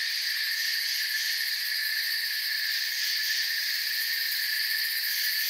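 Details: Soft, ceaseless chirping of many crickets in a forest, heard as a thick, even high-pitched wall of sound. The level stays uniform from start to finish, with nothing else audible.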